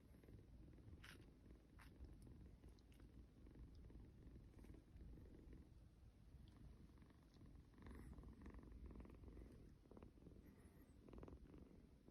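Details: Kitten purring in a snoring rhythm as it is hugged, a coarse low rumble rising and falling in waves, with scattered clicks and rustles from handling.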